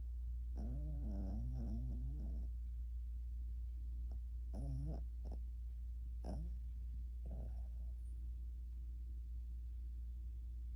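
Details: A sleeping dog snoring during a nap, with bursts of rough, rattling, harmonic snores lasting a second or two, then shorter snorts, over a constant low hum.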